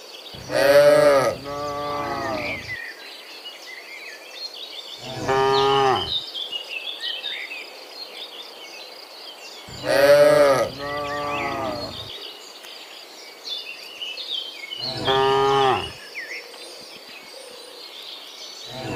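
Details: Cows heading from the field back to the pen in the morning moo four times, short harmonic calls spaced about five seconds apart, over steady bird and insect chirping.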